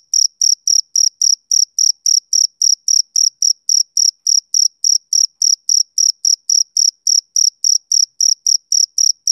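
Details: Rhythmic chirping of a male cricket: shrill, evenly spaced pulses at close to four per second, clean and steady against silence.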